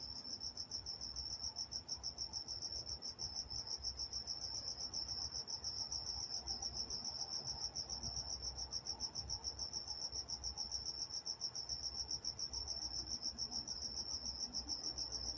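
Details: Nighttime cricket chorus in Walnut, California, a dense high-pitched pulsing trill that never stops, quick regular chirps layered with a faint second higher band and low ambient rumble.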